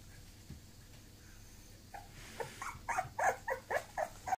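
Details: Bulloxer mixed-breed dog, a Bulldog and Boxer cross, giving a quick series of short, high, nasal whimpering yelps, about eight in the last two seconds, after a quiet start.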